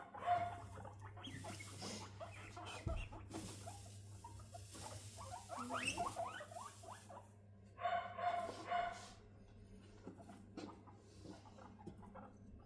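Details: Three female guinea pigs meet for bonding indoors: sisters Rosin and Mandel, 3.5 months old, and younger Latte, 1.5 months. Dense bursts of quick chattering pulses come and go, with quieter stretches and soft rustling between.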